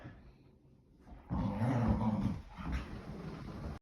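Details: English Springer Spaniels romping in the house on a rainy day to burn off energy. After a quiet start, a rough, low growl rises suddenly and keeps rumbling, easing off near the end amid scuffles.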